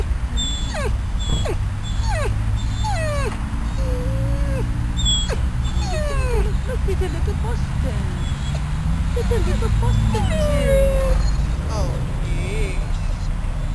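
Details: At Bryanston Veterinary Hospital, Riddick, a dog out of ICU and uncomfortable, whines and talks on the grass; scattered high whimpers and wavering moans mixed with people talking and low traffic rumble.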